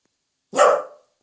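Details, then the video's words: Pet Welsh Corgi indoors, barking boldly because family is close by while an owner urges it to bark more softly; one loud, sharp single bark, then quiet, with a woman's voice speaking around it. "웰시코기(Welsh corgi) 코코야 조금만 작게 짖어봐.."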